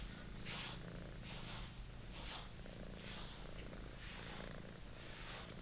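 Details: A British Shorthair kitten enjoying its favourite toy purrs with a constant low rumble, while soft breathy hisses pulse roughly once per second on top.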